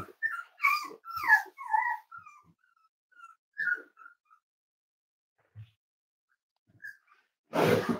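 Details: Indoors at weight-check time, a five-week-old Cavalier King Charles Spaniel puppy from Myra and Remy's litter gives a rapid series of short, high, falling whimpers and yips, then sparser single squeaks, ending in a loud rustling thump.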